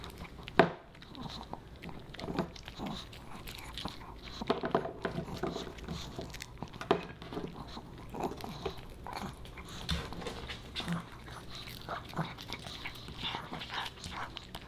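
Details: Boba Bear, a Pomeranian puppy, snacks on dog-friendly fish and chips indoors; steady crunchy biting and wet chewing clicks, irregular bursts over quiet room tone with a sharp crunch early on.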